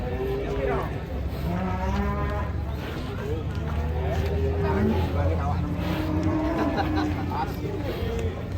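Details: Large fat cattle being unloaded from a truck in 2023 give long, steady, low moos, several drawn-out tones repeating over a constant rumble of engine noise, with background music and faint voices.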